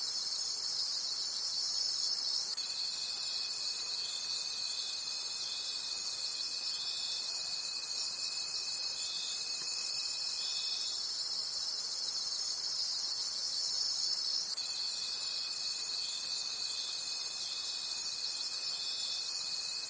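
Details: Night-time forest crickets form a bright, continuous high trill with a rapid throbbing pulse; a separate pure, level whine enters early, holds for about eight seconds, pauses, and resumes near the end.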